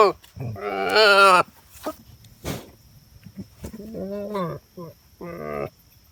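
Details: A female goat bleats loudly in quavering, nasal bursts, followed by shorter, softer bleats.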